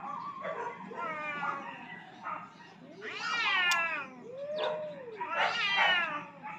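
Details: Rooftop standoff between two aggressive cats fighting for dominance: drawn-out moaning wails, one rising into a strained high howl midway, then a falling arched yowl and another harsh, tense cry near the end.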